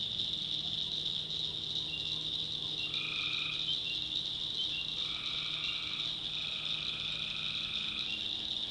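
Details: Swamp at night in backwoods North Carolina, where tree frogs give several drawn-out buzzy calls lasting about a second, partly overlapping one another, against a constant shrill hum from the surrounding chorus.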